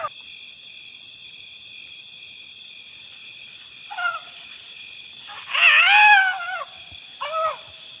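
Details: A young wild male Asian elephant calf, described as playful and mischievous, gives short, harmonic squeals over a steady insect drone.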